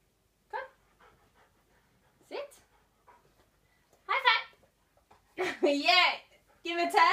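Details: King (standard) poodle gives short rising yelps that build into wavering, drawn-out howls.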